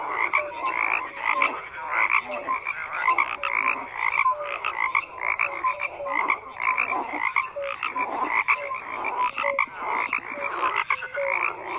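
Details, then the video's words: Chorus of frogs with layered croaks and short, bright whistled notes popping up every second or so over a constant chattering background. "FROGS CROAKING"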